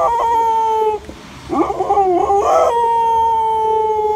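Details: Dog howling: a long, steady tonal note gives way to a wavering, rising-and-falling howl, then another sustained even tone to the end.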